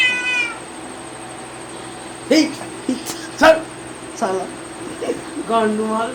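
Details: Cat meowing repeatedly in short, harsh, strained calls, some clipped and squeaky, spread across the recording, over a constant background hum.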